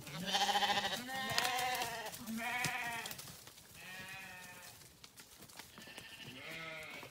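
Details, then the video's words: Several farm sheep bleat while grazing, overlapping quavering calls following one another quickly, some loud and strained, others softer, filling about seven seconds. "Sheep Video | Sheep Grazing | Sheep Farming | Sheep Sound"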